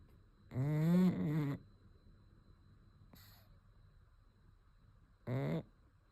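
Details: A sleeping pug snoring: two loud, raspy, harmonic snores back to back near the start, a brief snort around three seconds, then one more short snore burst near the end, with a quiet room between breaths.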